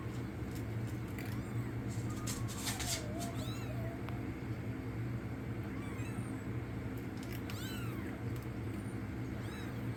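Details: Week-old kittens saved from the cold outdoors mew faintly, a few short arched cries at irregular gaps, partly buried under a constant low droning hum and occasional clicks.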